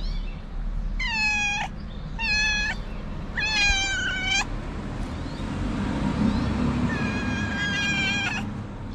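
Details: Snow White, a very cute street cat asking for love and food, meows four times: three clear drawn-out meows in quick succession, then a longer one after a pause, over low rumbling background noise.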